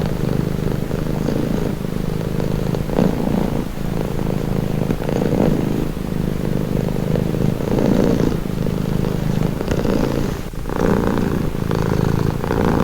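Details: Domestic cat purring: a continuous low, rumbling purr that swells and dips with each breath, roughly every one to two seconds, with no other clear sounds.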